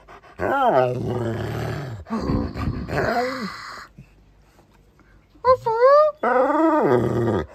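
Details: Pet dog Beowulf, staying with family for a week, gives arched, wavering howl-like yowls and a rough growly stretch, with short pauses between phrases, while a person talks to him indoors.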